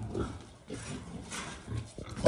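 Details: A wild boar with a female gives low, rough grunts and snuffling snorts in short, uneven bursts.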